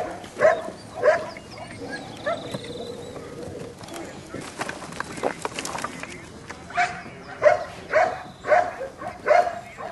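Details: Belgian Malinois litter, 7.5 weeks old, exploring a puppy rubble pile; early yips, a quieter stretch with people talking and clatter, then a run of five quick high yips near the end.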